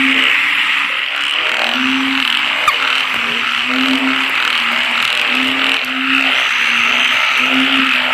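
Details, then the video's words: Night frog chorus where low, hooting croak notes repeat roughly every half second to second, over a thick wash of insect trilling and a continuous high buzz. "อึ่งเผ่า อึ่งยาง"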